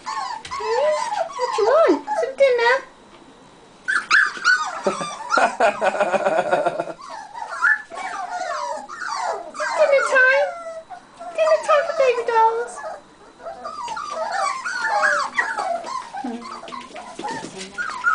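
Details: Buff American Cocker Spaniel puppies crowd around at feeding time, giving a stream of thin yips and wavering whimpers. Brief pauses break the chorus, and a clattering burst and human speech can be heard among the calls.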